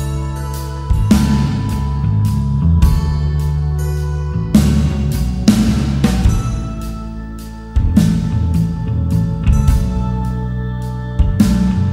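Only instrumental music plays, with deep sustained tones and soft percussive hits every few seconds; no animal sounds are heard.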